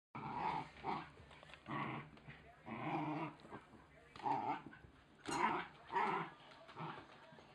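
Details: Oscar, a Wire Fox Terrier puppy, tackling and tearing apart his chicken toy; rough, rumbling growls come in short bursts of about a second, roughly every two seconds, with brief quiet gaps between.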